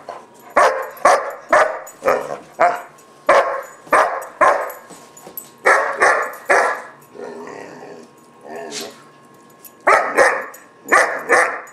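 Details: Gunner, a German Shepherd puppy around 4-5 months old, throws a barking fit in a tantrum, with a steady run of harsh repeated barks, a brief lull with softer sounds, then more barks.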